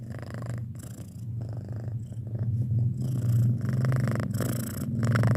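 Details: Domestic cat aged six months, kept as a pet, purring close up indoors: a loud, continuous low throbbing rumble with fast regular pulses, rising in volume over the last seconds, with faint breathy noise between breaths.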